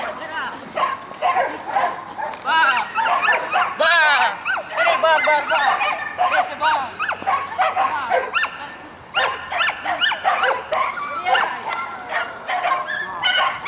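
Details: At a Saint Petersburg dog championship, 12 April 2015, with a mixed-breed and a Shetland sheepdog, sharp yapping barks come in rapid irregular runs, mixed with people talking nearby throughout.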